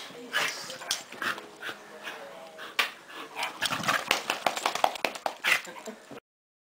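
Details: Scottish Terrier at play, a dog that loves to play; rapid bursts of yips, whines and rough growly barks, one after another, with a person speaking in the background.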